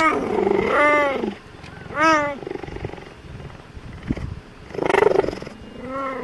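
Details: Cheetahs at the Cheetah Conservation Fund in Namibia give a series of clear, arching meows, each rising then falling in pitch.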